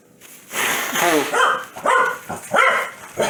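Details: Foxy, a pet Corgi angered by sneezing, lets out a drawn-out grumbling, wavering vocalization that breaks into several short yappy barks, with a voice heard faintly at the start.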